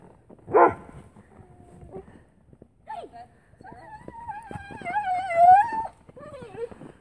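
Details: An Airedale Terrier, happy to see its owners back, lets out a sharp yelp, short whimpers, then a drawn-out wavering whine rising to a loud peak before trailing off into a lower moan.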